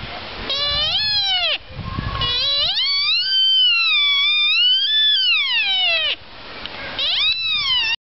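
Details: Sika deer at Heimat-Tierpark Olderdissen zoo near Bielefeld, Germany: high, whistling calls that slide up in pitch and then fall away. Sika deer.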